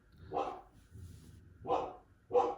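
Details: Pet dog barking indoors during a podcast recording: three short, loud, harsh barks spaced about a second apart, with low room hum between them.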